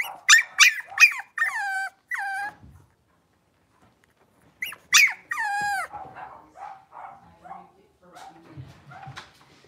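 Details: Cavalier King Charles Spaniel puppies, six weeks old, blenheim coloured, whine in two short bursts of high, drooping cries separated by a quiet gap, with faint murmuring sounds afterward in a small indoor room.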